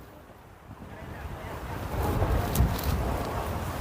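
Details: Low rumbling wind buffets the microphone, growing louder, with surf-like rushing and a few sharp knocks.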